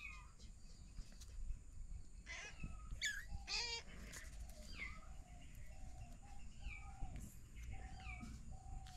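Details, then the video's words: Kittens with their mother cat, a family of three kittens found in a house storeroom; a few clear harmonic mews around the middle, with fainter thin mewing and soft rustling throughout. "Kittens Meowing"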